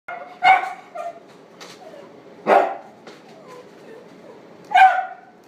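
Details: A male Chihuahua, black-and-tan and white, born September 2016, at a pet shop; three sharp single barks about two seconds apart, with a couple of softer short yaps between them.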